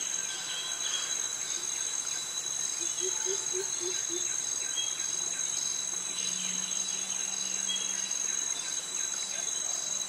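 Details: Steady shrill buzzing from male cicadas and crickets fills a tropical forest walk past mangroves in Krabi, Thailand. A quick series of five low hollow notes breaks in around three seconds, and a soft low hum follows later.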